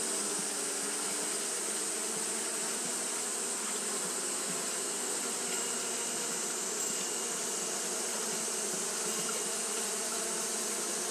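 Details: Steady fanning by Japanese honey bees on a hot day: a sustained, crowded buzzing drone with a hissy upper wash and a faint, slightly fluttering texture.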